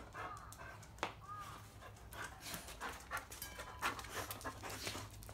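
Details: Field-line Labrador Retriever Bisuke at mating time, breathing in quick, steady, raspy pants, with faint brief tonal squeaks and low background hum.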